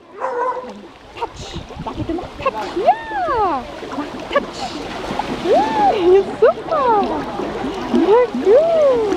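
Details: At an outdoor swimming pool, a few soft sounds give way to a lively string of curved, rising-then-falling dog yelps and barks in close succession, over a murmur of people and water.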